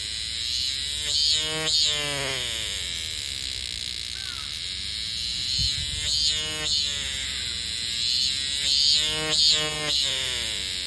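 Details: Robust cicada (minminzemi) song: throbbing, harmonic 'meen-meen' notes coming in clusters of two or three with pauses between, over a constant thin high-pitched drone from the surroundings.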